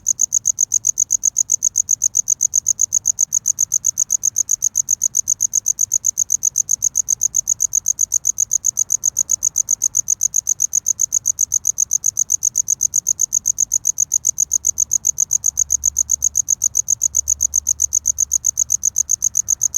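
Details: Close-up cricket chirping to attract a mate: a long, unbroken run of rapid high-pitched pulses, about six each second, metronome-steady throughout, with a faint low rumble growing slightly near the end.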